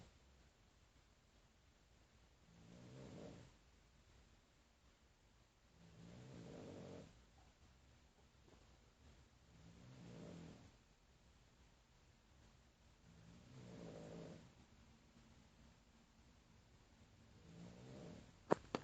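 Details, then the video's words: Domestic cat indoors at a time when nearly everyone is asleep, after drinking from a water-filled pot; soft, low, rasping snores come in slow, regular breaths about every three and a half seconds, with a quiet room between them and a brief click near the end. "Кот водахлёб и храп"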